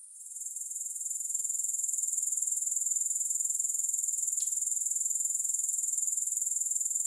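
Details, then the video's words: A grasshopper chorus swells in over the first two seconds into a sustained, piercing high trill with regular rapid pulsing. A couple of faint clicks sound beneath it. "Grass Hopper Sounds"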